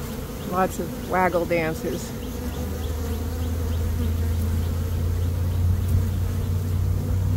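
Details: Honey bee swarm in early May, caught by a beekeeper after a dearth, one of two swarms that day: a steady low droning hum throughout, with a man's voice speaking briefly in the first two seconds.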